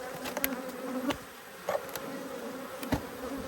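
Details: Cranky honey bees from an Australian queen breeder's stock, stinging the beekeeper during a brood nest inspection, 5 March 2022: continuous low hum with overtones under scattered sharp clicks and taps of handling.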